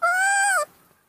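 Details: Baby monkey Nomi, hand-raised and said to get angry when hugged, gives one loud, clear, drawn-out tonal cry lasting over half a second. The cry holds steady, then drops sharply at the end, leaving near silence.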